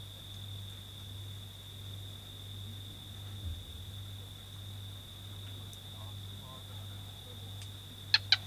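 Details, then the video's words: Barking gecko heard at Garagab bushcamp in the Kgalagadi while a gemsbok was being filmed: three sharp, dry clicks in quick succession near the end, over a steady electrical hum and a constant high tone. "Barking gecko sound"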